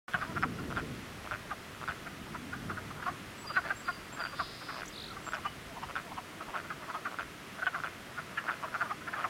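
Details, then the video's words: Many frogs calling together in spring, a dense chorus of short croaking notes around the middle of the range, overlapping and repeated several times a second, with faint low rumble early on and a brief higher hum midway. "Frog cluster"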